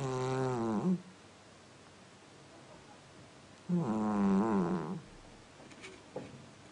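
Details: Domestic cat snoring like a person: two harmonic, droning snores, the first under a second long and the second longer, each rasping on a low buzzy pitch with a slight waver, separated by quiet room stillness and a faint soft click near the end.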